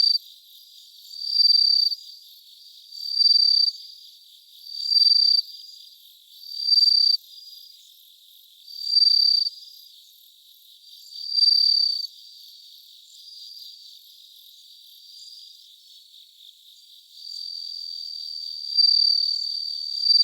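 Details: Around 3 a.m. on 3 September 2023, a bell cricket rings out a steady series of high, tinkling trill bursts, about ten spaced every two seconds, ending with a longer ringing run, in a still night.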